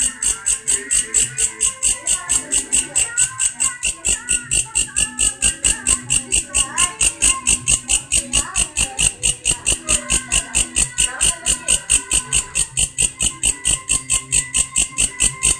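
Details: Insistent rhythmic pulsing from a grasshopper with a strange voice, bright buzzy beats just over two per second, steady throughout, against faint voice-like sounds and low background clatter.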